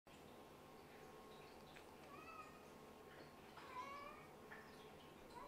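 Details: Sleepy kittens from a litter of Scottish Fold and British Shorthair parents, put back to bed on a cold day after tiring from play; faint high thin mews with rising harmonic bands, several in a row, over indoor room hum.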